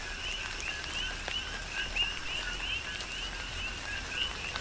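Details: Coqui frogs on Hawaii's Big Island call through a tropical downpour, with softer, blurred two-note chirps running together and a few brighter upswept notes standing out above heavy rain hiss.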